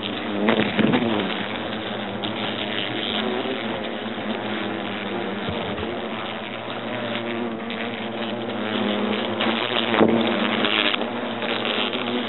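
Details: Buzzing European hornets from a nest inside an oak trunk in Agen, France, as the nest is destroyed: a continuous, thick hum with stacked droning tones, with brief louder surges near the start and around ten seconds.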